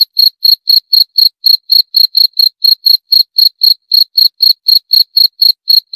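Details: A cricket gives crisp, evenly spaced chirps, roughly four per second, each a short high-pitched pulse, against a quiet background.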